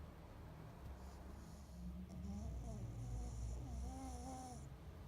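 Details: Sleeping pug breathing and snoring indoors: low rumbling drone with faint wavering whistle-like tones rising and falling through the middle, plus a soft airy hiss at times.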